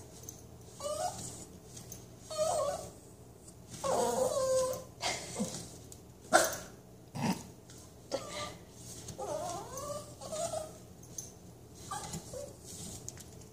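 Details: While its back is scratched, a Toy Manchester Terrier makes short wavering whines and grumbling moans, broken by rustles and a sharp knock. A woman speaks softly to it before and after.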